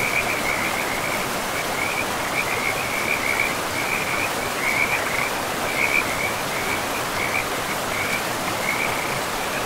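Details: Several frogs by a forest river keep a sustained chorus of sharp, high, pulsing notes in rhythmic clusters, sometimes briefly louder, layered over the constant hiss of the flowing river.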